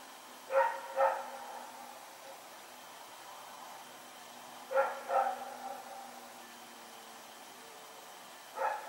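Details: Rex, a dog, running around at night, recorded September 21, 2018: sharp barks, a close pair near the start, another pair mid-way and one at the end, separated by long quiet gaps over faint steady background hum.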